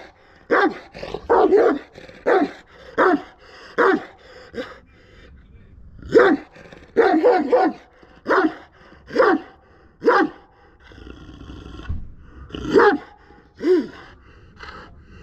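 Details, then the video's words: {'caption': 'Kangal dog behaving aggressively, letting out a long run of deep, forceful barks in quick bursts, roughly one or two per second, with short pauses between volleys.'} "aggressive kangal dog"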